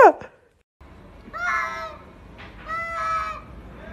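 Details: Domestic cat from a kitten and cat compilation giving two harmonic-rich meows about a second apart, each with a slight rise and fall, following a sharp opening click and a brief silence.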